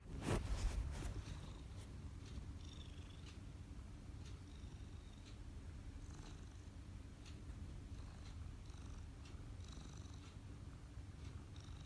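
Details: Domestic cat purring steadily while kneading, a continuous low rumbling throb broken by faint soft ticks and a dull thump at the very start.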